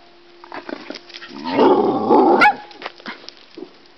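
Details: Playing collies Laya and Nacho: one gives a loud, rough growling rumble lasting about a second, ending in a sharp yelp-like snap, with soft sniffs and shuffling before and after.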